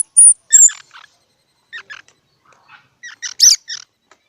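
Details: Squirrel making brief high squeaks and a couple of sharp whistles, followed by scattered short harmonic chirps after quiet pauses.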